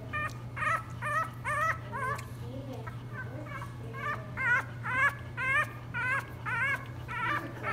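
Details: A 3-week-old English Bulldog puppy cries after a feeding, whimpering in a string of thin, wavering, high cries.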